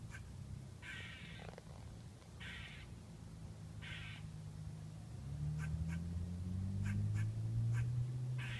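A squirrel gives harsh, buzzy bursts about every second and a half, followed by quick sharp clicks.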